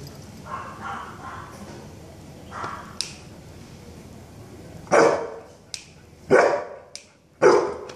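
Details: Golden Retriever named Lucky during a training session: three loud, sharp barks come in quick succession near the end, following quieter stretches with faint indoor background sounds.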